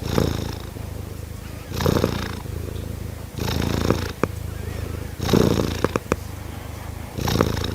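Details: Kittens purring: a steady low rumble runs throughout, broken by louder breathy surges at roughly 0, 2, 3.5, 5.3 and 7.5 seconds, with a few sharp clicks.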